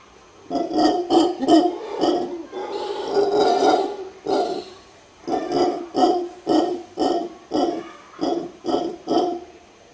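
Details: A mantled howler monkey in Guanacaste, Costa Rica, gives deep, guttural grunts that swell into a long rasping roar.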